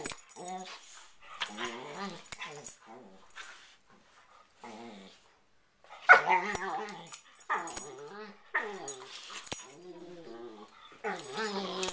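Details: Two pet dogs in a nightly playfight on a bed just before sleeping: bursts of snarling and whiny growls exchanged between them, separated by short pauses, with rustling of bedding.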